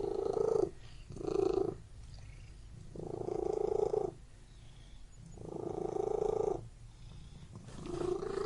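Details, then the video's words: Indoor purring from a cat: deep, fluttering rumbles come in five pulses, some short and some over a second long, with soft breathy pauses between them in a quiet room. "Purring Cat in Room"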